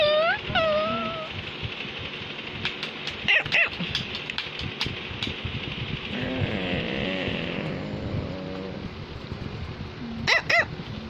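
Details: Samus, a Cavalier King Charles Spaniel, trying to tell its owner something: an opening high whining yelp that slides down, then sharp barks after three seconds and again near the end, with a low murmur and background hiss between.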